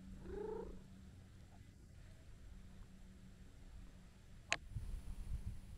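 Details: Stray tabby-and-white cat purring while kneading and licking: a faint, low, continuous rumble throughout, a brief higher chirp at the start and a sharp click midway.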